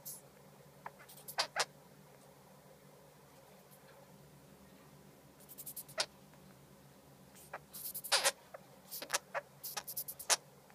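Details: Baby sugar glider crying: scattered short, sharp high-pitched clicks and squeaks, isolated at first, then clustering into quick bursts in the second half over a quiet background.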